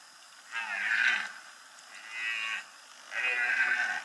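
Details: Red deer stag roaring during the rut in the Bieszczady mountains, Poland, 2015; three long, hoarse, groaning roars, each about a second long, separated by short pauses.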